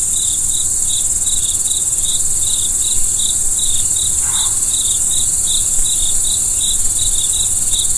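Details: Cricket chirps on a starry night, brief bright pulses repeating steadily several times a second, set against an unbroken high-pitched insect drone and low background murmur, with a soft faint sound midway.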